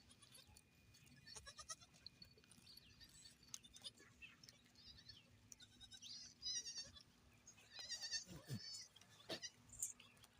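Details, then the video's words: Goats on a goat farm: several faint, wavering, nasal bleats come in short bursts early on and again around the middle and end, over a quiet background with scattered clicks and rustling. "Goat Farm"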